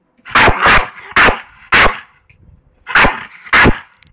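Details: Staffordshire Bull Terrier in Málaga, Spain, attacking, giving loud, harsh, deep barks in quick pairs, six barks in about four seconds, with short pauses between bursts and quiet background.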